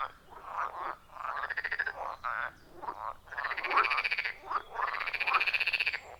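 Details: A loud chorus of wild frogs at a forest pond, captured with an iPhone 14 Pro and Shure MV88+ microphone; rapid pulsed trills overlap with rising croaks, dense and rhythmic, several animals calling at once.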